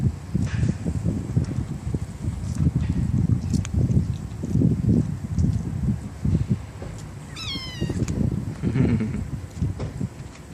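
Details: One clear, high, quavering meow from a stray kitten among a litter of four in a residential area near a bus terminal, heard once midway over a continuous low rumbling background.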